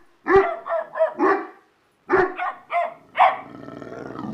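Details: Dogs in a barking contest giving a run of four quick barks, a pause, then three more, the last trailing into a rough growly tail.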